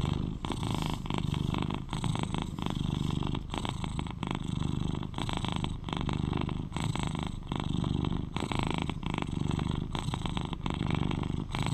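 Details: Close recording of a cuddly 11-year-old male British Shorthair purring: a continuous low vibrating rumble with regular breath-linked surges, with no other sounds.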